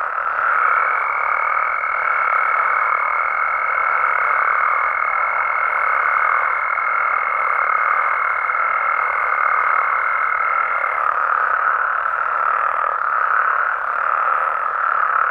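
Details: Massed calls of Mexican frogs and toads after dark, a constant trilling chorus with a faint steady whistle-like tone over it until near the end and some faint higher chirps.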